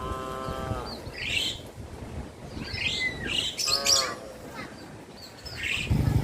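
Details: Cattle from a traditionally bred herd walking towards a field: a low, drawn-out harmonic moo opens, a second shorter lowing follows midway, while small birds chirp and twitter brightly throughout.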